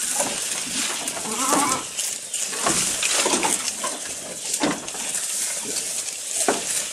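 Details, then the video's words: Goat recorded up close while eating, giving irregular crisp crunching and snapping chews, roughly one every two seconds, over a steady high hiss of background noise. "Goat Eating Sound"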